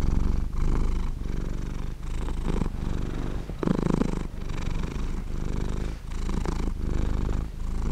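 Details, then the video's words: Cat asleep and purring: low, throbbing rumble in even breath-linked pulses about every 0.7 seconds, one slightly louder, rougher phase near the middle, otherwise quiet background. "Cat sleeping and Purring"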